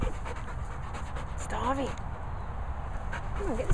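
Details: Labrador Retriever named Cocoa whining indoors: two short, wavering, high-pitched whimpers that rise and fall, the first midway and the second at the end, over a steady background hum, with a person talking nearby.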